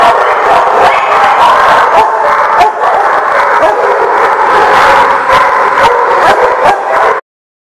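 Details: A crowd of dogs barking together, recorded October 13, 2018: rapid, irregular overlapping barks and yips fill the sound steadily, then cut off abruptly to silence near the end.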